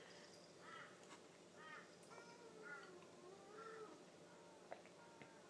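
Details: Ten-month-old male Tonkinese kitten, self-styled king of the house, telling off the family's four-year-old German Shepherd: a run of short harmonic meows, rising and falling, roughly one a second, over a steady indoor hum.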